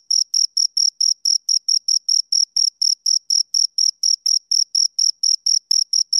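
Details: Two crickets chirping, a clean high-pitched pulse repeated steadily about twice a second, each chirp a bright narrow tone with a fainter higher overtone, over complete silence with no other sounds.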